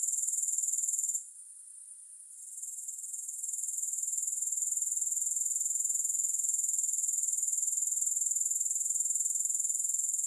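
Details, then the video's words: Insect trill of grasshoppers, piercing and high, pulsed about four times per second; it falls quiet for over a second early on, then slowly rebuilds to a constant drone. "Grass Hopper Sounds"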